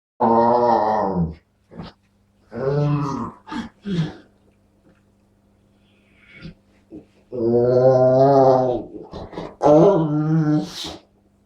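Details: Dog making odd, funny noises: two long, deep, harmonic moaning calls of over a second each, separated by short grunts and sharp yips, with a final brief high squeak.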